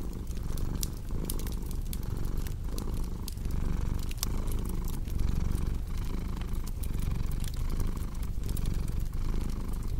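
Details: Cat's continuous deep purr, pulsing with each breath at just under one-second intervals, blended with a crackling fireplace whose bright snaps and pops scatter across the track, arranged as relaxing sleep ambience.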